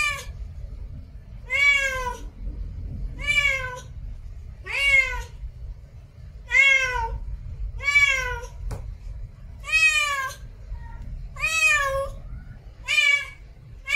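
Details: Female domestic cat in heat making a mating call: eight loud, plaintive meows, each rising then dropping, repeated about every 1.5 to 2 seconds over a low background hum.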